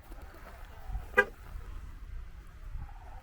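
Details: A single short car horn toot sounds over a low rumble of outdoor traffic noise, with no animal voice.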